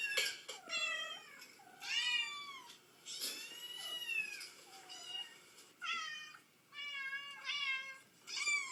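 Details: Mother cat answering kitten meows: a run of about eight loud, harmonic meows, some rising then falling and some drawn out, in quick succession with short gaps, followed by a person speaking.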